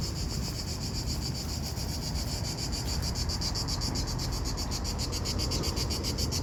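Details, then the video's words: Cicadas in Italy on a hot summer day around 40°C; a continuous shrill, high buzzing with a fast regular pulsing that grows stronger toward the end, over a low rumbling background. "Cicada Buzzing Sound - Italy"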